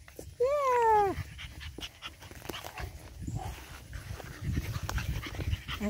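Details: Eight-week-old Boston Terrier puppy from an energetic litter giving one clear harmonic whine, rising slightly then sliding down over about a second, followed by quieter scuffling and a woman's voice talking to the puppies.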